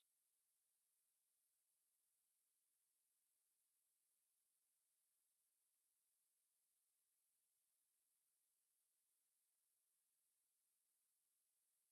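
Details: Near silence throughout, with only a faint steady high hiss.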